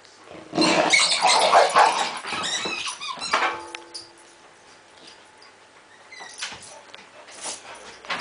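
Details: Male springer spaniel guarding his balls from another dog in the home during play that never turns into a fight; loud rough growling with yips for about three seconds, then quieter grumbles and a brief whine.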